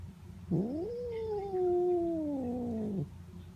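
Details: Domestic cat Notail, being petted, gives one long meow of about two and a half seconds that swoops up sharply, then slides slowly downward in pitch before cutting off.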